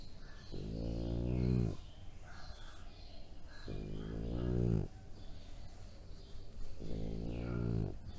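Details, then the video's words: A 3-year-old male French Bulldog gives low, drawn-out, pig-like grunts, about one every three seconds. "Funny Sounds French Bulldog "Piak-Poon"/ เปียกปูน หมาหรือหมู ร้องอู้ดๆ"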